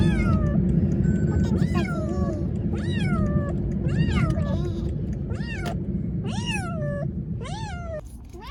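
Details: Siamese cat brought to an animal hospital for its cough, meowing insistently: about ten rising-then-falling cries, roughly one each second, with a low hum behind.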